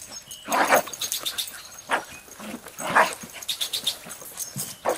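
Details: A Jack Russell Terrier on a leash near a highway, playing with a basketball for the first time, gives sharp, high, excited barks at irregular intervals, with some background clatter.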